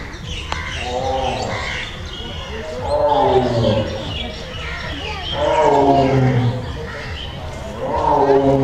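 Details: Caged Royal Bengal tiger roaring: drawn-out, arching harmonic roars rising and falling, repeated roughly every two and a half seconds, with people's voices audible in the background.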